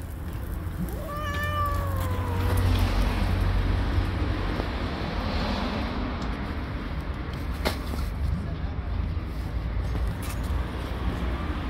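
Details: Stray tabby mother cat living on the street, angry at being touched near her kittens: one drawn-out, harmonic meow that falls in pitch early on, followed by steady low rumble of street or traffic noise.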